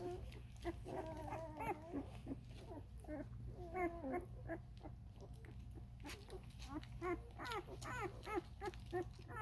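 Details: Thirteen-day-old Vizsla puppies of Ruby's litter squeaking and whimpering in a busy tangle of short wavering cries, several overlapping, over a loud low hum and background rumble.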